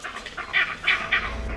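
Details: Vervet monkey leopard alarm call, the signal that sends the troop dashing for the thinnest branches of the canopy; a rapid series of short, harsh, mid-pitched barks, about five in under two seconds, over a soft background hiss.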